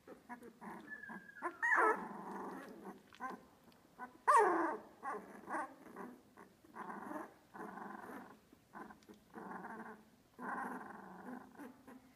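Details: Australian Labradoodle puppies aged two weeks, Olive's litter at Pine State Australian Labradoodles, making low grumbling grunts and drawn-out whines with two sharp squealing cries, in a small indoor room.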